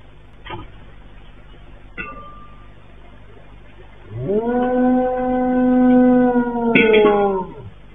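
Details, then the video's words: Dog caught on CCTV howling over and over just before the 7.8 magnitude earthquake in Turkey on 6 February 2023, before dawn. A few sharp knocks and clicks, then one sustained, even, tonal howl of about three seconds ending in a brief rough burst. "video itu direkam dari CCTV memperlihatkan perilaku seekor anjing yang tidak biasa dia melolong berulang-ulang sesaat sebelum gempa Turki"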